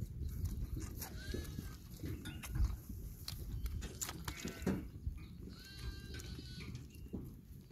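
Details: Young goats playing produce a few bleats, thin and wavering, spaced a couple of seconds apart, with thumps and a heavy low rumble throughout.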